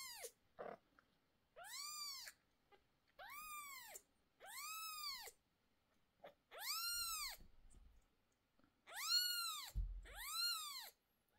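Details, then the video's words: Mother cat screaming repeatedly while two of her 11-day-old kittens receive eye medicine indoors. Seven drawn-out arched cries come roughly every one to two seconds, some louder and longer, with a soft bump near the end. "Mom cat gets very nervous when we treat the kittens' eyes."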